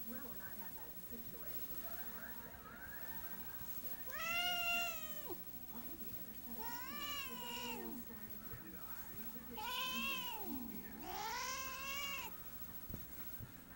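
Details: A pet female cat that hisses and growls at her owner as a sign of affection. Four drawn-out, wavering, arched yowls come at uneven intervals over faint room noise.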